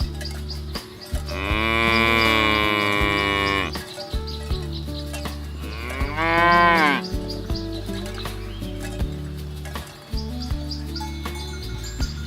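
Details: Village cattle herd being driven to the pen through a rice field ditch: two loud, drawn-out moos, the first about two and a half seconds long and the second shorter with a rising-falling arc, over a steady low tonal background.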